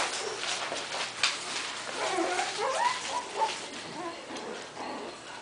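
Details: Three-and-a-half-week-old Coton de Tulear puppies at play, giving thin rising squeals and whines in the middle of the clip, with soft scratching and clatter from a small room.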